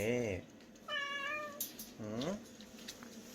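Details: Bomi, a cat known for a pretty voice, at a rural island-village shelter for about 40 rescued cats and dogs, gives three clear, tonal meows: a short falling one, a longer steady one, then a rising-falling call, with quiet room noise between.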